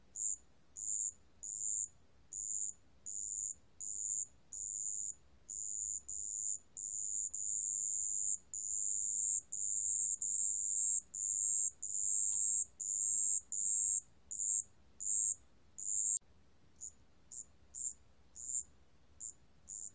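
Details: Marsh bell cricket from a 2020 National Institute of Biological Resources recording: a high, pure ringing tone in short bursts, repeated steadily about once or twice a second, some bursts running longer, with a clean background.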